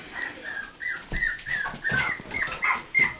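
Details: Newborn Miniature Pinscher puppies, born 16 November 2008, whimper in a rapid string of thin, high squeaks, some rising and some falling, about three each second, with faint background noise.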